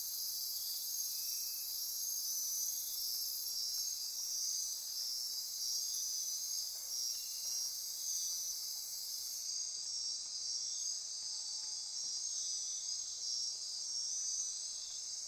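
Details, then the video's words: Insects pulsing and trilling after dark in Costa Rican rainforest on the Osa Peninsula, near Corcovado: a bright continuous high drone, a shrill top layer cutting off about two-thirds through, and sparse short chirps. "Midnight Insect Chorus"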